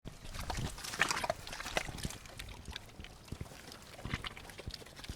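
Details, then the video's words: Pigs eating and drinking in mud: short low grunts around the first second and a half, among constant wet smacking, slurping and clicking chewing noises. "Efeito sonoro de porcos comendo e bebendo lama"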